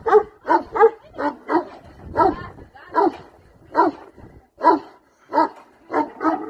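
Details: Repeated deep, rough barks from a Bucovina Shepherd dog, single and doubled, spaced irregularly over several seconds, with a faint human voice in the background.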